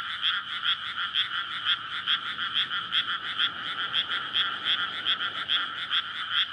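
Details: Frogs chorusing for courtship in a paddy newly flooded in May, night recording near housing; strong repeated croaks in a steady beat of about two per second dominate, background otherwise quiet.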